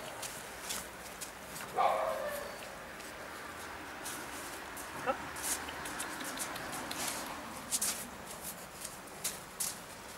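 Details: Lhasa Apso puppies bred in Schleswig-Holstein, Germany, give a single short high yip near the start, followed by scattered light clicks, rustling and faint background sounds.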